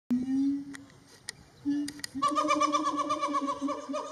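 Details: A siamang at Metro Richmond Zoo, Virginia, on 25 February 2022 gives low drawn-out hoots, then a fast pulsing run of loud, ringing barked notes.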